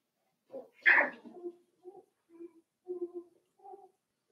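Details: Five-week-old Cavalier King Charles Spaniel puppies in Daisy's indoor puppy pen give one sharp high yelp, then a string of soft, short low whimpers and grunts spaced about half a second apart.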